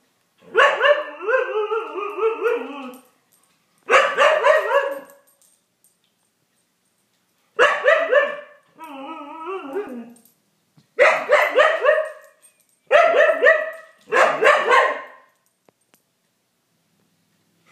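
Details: Siberian Husky trying to play with a cat, giving long harmonic yowling barks in seven bursts of one to three seconds, some wavering and sliding downward in pitch, separated by short silences; no other clear sounds.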